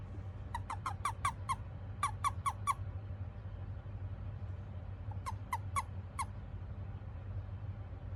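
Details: An Eastern Japanese common toad found in a park on a rainy day gives a release call of quick bursts of short, squeaky chirps when picked up.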